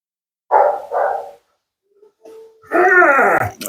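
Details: Siberian Husky named Mila complains while her nails are clipped at a grooming session: two short grumbling woos, a pause, then a longer, louder wavering howl-like moan that slides downward, with a person soothing her.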